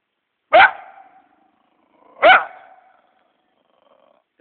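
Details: Captured scruffy coyote on a farm, described as a killer of wildlife and farm animals: two sharp, loud barks about two seconds apart, each trailing into a brief fading whine, with quiet gaps between.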